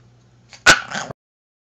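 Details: Pet dog named Paco, urged by its owner to say goodbye, answers with one short, loud, strained yowl lasting about half a second. It breaks sharply from near silence and stops abruptly, with a faint low hum before it.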